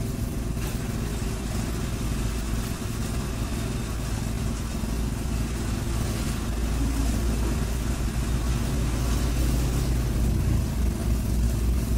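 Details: At an animal market, loud rumbling engine and traffic noise fills everything, with no animal call standing out.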